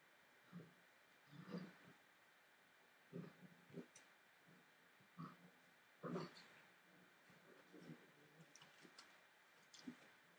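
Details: Entlebucher Mountain Dog puppies at 43 days old, from a litter born 28 December 2013, give short low grunting growls in irregular bursts, several seconds apart, over a quiet indoor background.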